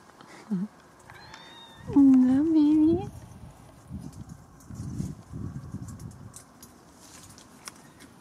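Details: Bengal cat in a treehouse: a brief high squeak, then a drawn-out, wavering meow of about one second. Soft rustling and low murmuring voices follow.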